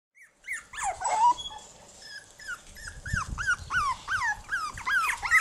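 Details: Ten one-month-old Jack Russell Terrier puppies playing on a backyard lawn without their mother give rapid high whiny yips and squeals, each arching up then down.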